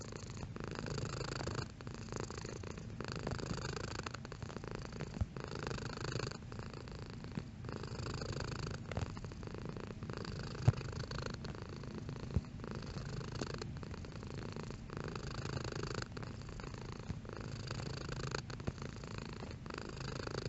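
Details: House cat purring softly and steadily, a low rumble rising and falling with breaths about every second, with a couple of faint clicks partway through.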